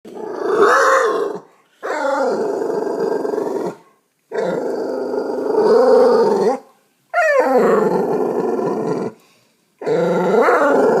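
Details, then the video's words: Dog growling at a cat in a backyard while the cat stays unbothered; long sustained rumbling growls of about two seconds each, broken by short silent gaps, with rising whiny tones at the starts. "Murphy growling at cat"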